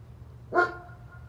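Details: A single loud bark from a neighbor's German Shepherd, abrupt onset with a brief tonal ring fading out, against constant low background hum.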